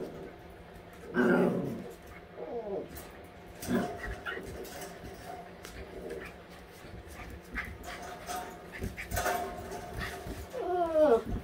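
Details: Eight-week-old all-white husky puppies at play: a loud throaty growl-whine burst, then short rising yelps, later a scrappy growl and a high arching whine near the end, amid rustling and knocks.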